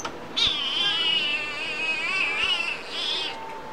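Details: A little kitten with a big voice at a humane society in Yuma gives one long, drawn-out meow of about three seconds, wavering and slightly rising and falling in pitch, then stops abruptly.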